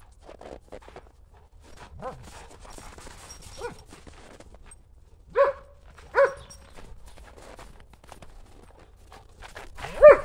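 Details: German Shepherds Buffy and Willow playing chase with a ball in the snow on a cold January day; a few short, sharp barks spaced several seconds apart over steady crunching footsteps in snow.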